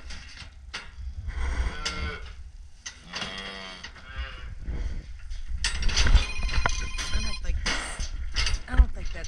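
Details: Red Angus cattle being worked, calves and cows: a few wavering harmonic moos early on, then clanging metal and a ringing, tonal mechanical noise.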